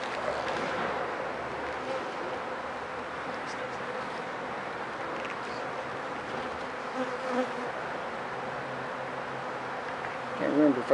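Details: Honey bees at an opened hive during an inspection to check whether the colony is sick, after four days of rain left many wet dead bees out front; a dense, steady droning buzz fills the recording, with a few soft knocks near the end.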